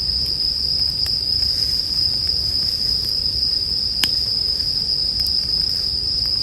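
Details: Bell crickets keep up a constant high metallic trill while a crackling campfire snaps now and then, one pop standing out near four seconds, over a gentle low rumble of flames.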